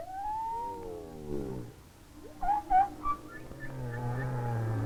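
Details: Humpback whale song recorded underwater in winter off Maui, Hawaii, from distant whales: long, falling moans followed by short, rising whoops over a low rumble.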